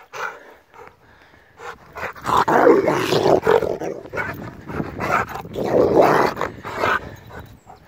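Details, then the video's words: Rottweiler in an attack, a few scattered barks at first, then a sustained stretch of rapid, overlapping snarling barks and growls that continues to the end. "Rottweiler Attacks!"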